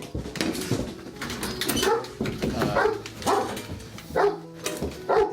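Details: Several domestic dogs barking in the morning, happy and ready to come out; sharp, overlapping barks and yips about every half second, with some whining between bursts.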